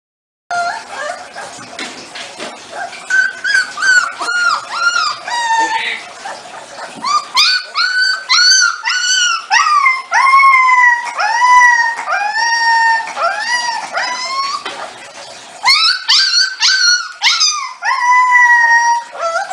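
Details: Siberian Husky vocalizing indoors in a run of arched, whiny yowls that rise and fall in pitch, coming in quick irregular bursts with brief pauses, almost like talking; the dog's voice clearly dominates throughout.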